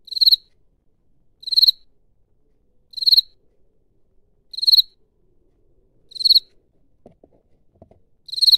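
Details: Field cricket chirping as it rubs one wing against the other; short shrill pulsed bursts repeated about every one and a half seconds, six chirps with near silence between and a faint tapping late on.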